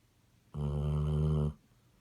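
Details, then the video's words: Single loud honking snore from a Basset Hound, a rough buzzy nasal drone lasting about one second, steady in strength, set against a quiet indoor background. "Snoring Basset Hound"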